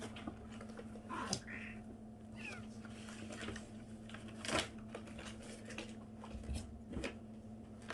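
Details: A 37-day-old kitten making strange noises indoors: two brief, thin meows close together, one a small rising squeak, over a steady electrical hum and scattered clicks and bumps.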